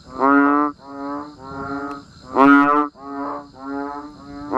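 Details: Banded bullfrogs and other frogs calling during rain in a natural setting: deep, nasal, droning moans, each about half a second long, overlapping from several callers, with a louder bellow midway and a faint steady high hum behind.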